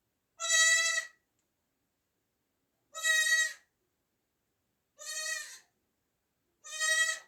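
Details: Newborn kid goat bleating four times, each a short, shaky, nasal cry lasting about half a second, repeated roughly every two seconds with silence between.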